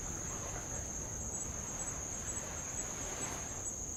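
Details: Insects on Avalau island, Kingdom of Tonga, beside old lava shore: a steady, very high, continuous shrill trill runs unbroken throughout, with faint ticking above it, over a soft hiss of light waves.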